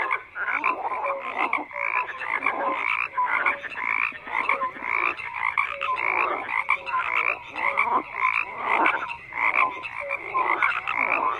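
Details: Dense frog chorus, countless croakers overlapping in buzzy pulsed bursts with occasional short pure tones, loudness swelling and dipping constantly.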